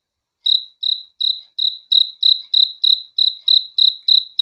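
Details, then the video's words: A cricket heard at night begins after a brief silence, then sings a regular series of short, shrill chirps, a little over three each second, steady and unaccompanied. "THE SOUND OF CRICKETS FOR RELAXATION TO SLEEP AT NIGHT"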